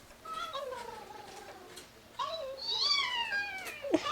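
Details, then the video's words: A Chihuahua howling indoors in response to dog howling videos played on a phone; thin, wavering tonal howls slide downward, then a higher, rising-and-falling wail near the end, over soft background music. "chihuahua howling"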